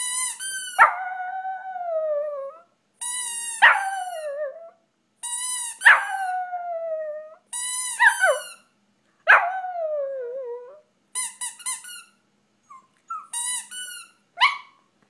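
A Shih Tzu gives a series of drawn-out howls, each sliding downward after a sharp start.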